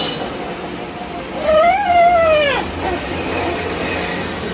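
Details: Happy stray dog crying while seeking attention from a person it loves; one long, drawn-out whine that rises then slowly falls over about a second, over low traffic noise.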